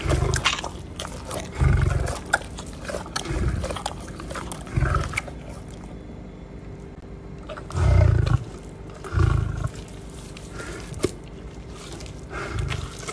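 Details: Captive lion being fed at RAK Zoo wildlife park, Ras Al Khaimah, United Arab Emirates, gives a series of low, grunting roar bursts spaced one to three seconds apart, with a short pause midway and feeding crunches between them.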